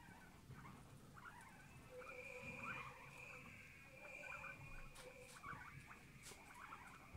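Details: A family of several guinea pigs: quiet, thin whistled tones hold steady while short squeaky chirps repeat over and over, set against a soft low rumble and a few faint taps.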